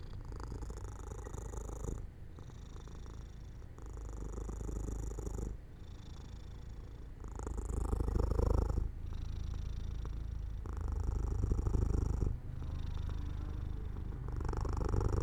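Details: House cat drifting to sleep in sunlight by an open window, purring low and continuously, the rumble swelling and easing with each breath, with short gaps roughly every two seconds.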